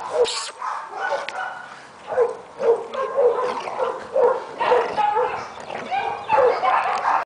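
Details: Australian Cattle Dog named Badger, awaiting adoption at a shelter: a run of short, sharp barks in uneven bursts, some closely spaced and others separated by brief pauses, with voices mixed in the background.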